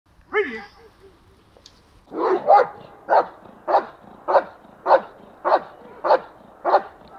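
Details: German Shepherd described as obedient and protective: a brief rising whine-like cry, then about nine deep, even barks repeated roughly every 0.6 seconds.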